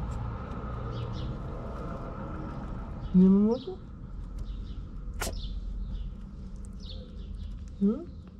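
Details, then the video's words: Stray kitten in Morocco meowing for its mother, a street cat named Mama who was out looking for food; two short rising harmonic meows about four seconds apart over steady low background hum. "Mama the cat who was looking for food came when she heard her kitten meow."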